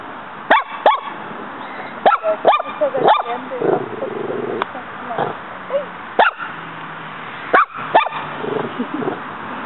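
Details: Female pet dog named Muñeca in a yard, fighting a praying mantis that keeps fighting back; sharp, short barks and yips in scattered bursts, mixed with a woman's encouraging Spanish speech and household murmur.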